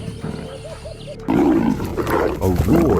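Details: Two leopards in the savanna erupt into harsh, rasping snarls and growls as they fight over territory and prey.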